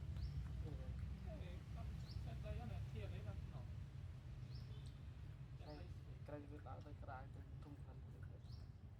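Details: Newborn kittens, sleeping together after milk, give thin high mews with stacked overtones. Several overlapping squeaks rise sharply in pitch in quick clusters over a steady low background rumble.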